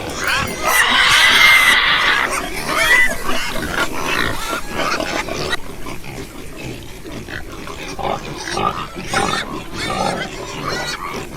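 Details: A loud, drawn-out pig squeal lasting nearly two seconds opens, then quieter, rapid grunts and snorts from several pigs continue at a brisk rhythm.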